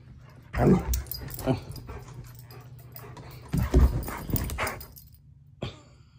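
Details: German Shepherd puppy throwing a vocal tantrum, 'talking' with low growly grumbles and short whiny yips in uneven bursts, some louder barks near the middle, indoors.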